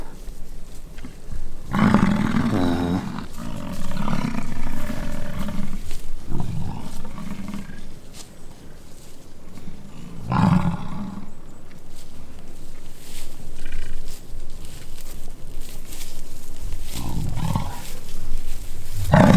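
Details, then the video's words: American bison fighting during the rutting season on the Peace River Ranch near Fort St. John, British Columbia, Canada: deep, rumbling roars rise in loud bursts near two, ten and seventeen seconds over a steady low growl. "BISON FIGHT IT OUT IN RUTTING SEASON"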